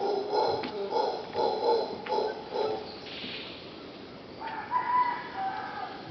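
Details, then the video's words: Howler monkeys at Pachamama Caribe, Punta Uva, Costa Rica, heard outside a bedroom: a series of rough, pulsed grunting bursts repeating about twice a second, then fading as a thin whistled bird call rises over steady insect hiss. "Audio of howler monkey"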